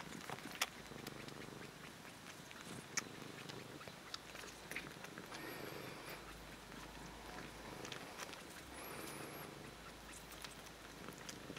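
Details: Kneading cats Kkabi and Yaongi give a soft, quieter purr, a low continuous hum with gentle breathing cycles, accompanied by occasional clicks, rustling and faint high squeaks in the background.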